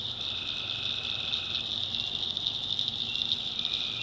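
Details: Tree frogs at night in a North Carolina backwoods swamp, giving an unbroken high-pitched trilling chorus; a lower steady note sounds briefly at the start, then drops away.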